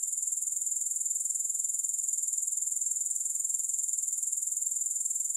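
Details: Continuous high-pitched pulsing of grasshoppers, with no music, an even shimmering trill beating roughly two and a half times per second without a break for the whole stretch.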